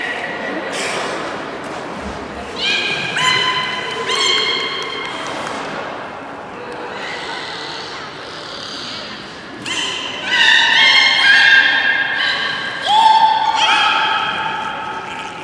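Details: Beluga at Port of Nagoya Public Aquarium during its 16:30 public training on 24 March 2018, giving a run of short harmonic calls of shifting pitch, several stacked tones, with an audience murmuring in a large hall.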